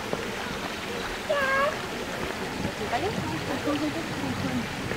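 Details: Asian small-clawed otters squabbling at Zoo de Pessac: a short, sharp, rising squeal with bright overtones, then thinner chirps and squeaks, all over a steady rush of running water.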